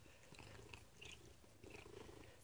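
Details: Indoor female Maine coon given treats, purring continuously at low pitch while giving a series of brief high chirps, about four spaced through the clip, described by her owner as interesting noises.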